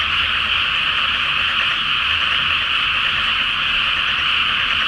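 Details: Great chorus of frogs calling at night from a flooded rice paddy before planting, under a full flower moon reflected on the water; a dense, unbroken wall of overlapping high croaking with no pauses.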